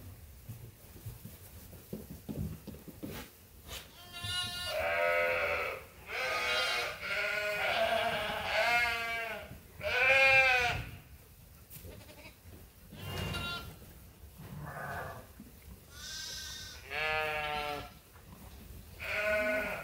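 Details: Sheep and lambs on Ewetopia Farms awaiting their feed during daily chores, a chorus of loud harmonic bleats, many overlapping, some wavering, coming in bursts every second or two, with low farmyard rumble beneath.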